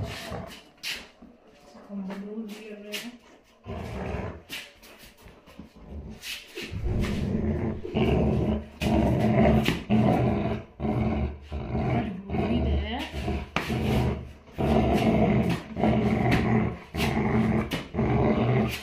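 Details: Labrador Retriever filmed indoors. After a quieter opening with speech, it gives low, rough growling barks in rapid bursts of about two or three per second. These carry on steadily to the end.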